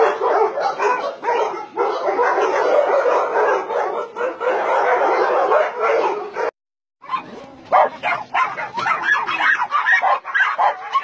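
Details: Many dogs barking together at a combined meat farm and puppy mill in Nonsan, South Korea, with about 150 dogs such as Dobermans, Shar-Peis, Chow Chows and Golden Retrievers; a dense, continuous chorus of overlapping barks with a brief gap near the middle.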